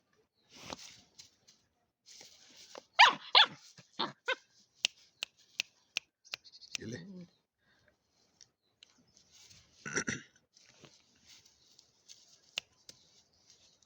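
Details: One-month-old German Shepherd puppy, described as angry and as a new guard dog, gives a burst of short, sharp yapping barks, then a brief low growl, then another loud bark, amid sharp clicks and a human voice.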